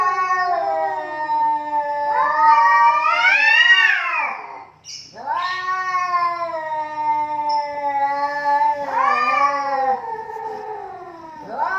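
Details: Pair of cats quarrelling until one backs down: loud, richly harmonic yowls swelling and wavering for seconds, a brief pause, then another long sustained wail and a rising surge of howling.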